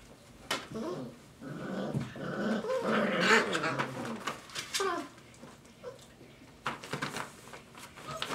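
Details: Five-week-old Dogo Argentino puppies playing indoors, a mix of low growls and whiny harmonic calls peaking midway, with sharp knocks and scuffling throughout.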